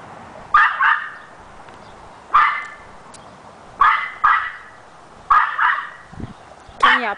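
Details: Pet dog barking excitedly as a litter of six puppies chases their mother around in circles; single loud barks, some doubled, spaced about a second or more apart, ending in a higher yelping bark.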